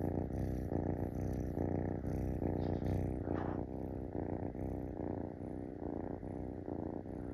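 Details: Close-up of a Munchkin kitten on a person's belly begging for petting, giving a strong low purr in regular in-and-out pulses of roughly two and a half per second, with a brief faint squeak midway.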